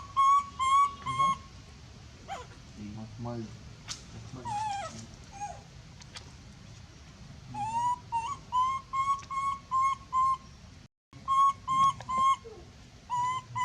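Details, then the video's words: Monkey screaming very loudly while calling for help: bursts of shrill, steady-pitched wailing notes in rapid runs, pausing midway for softer scuffling, grunts and low murmurs before the screaming resumes. "big scream so loud calling help"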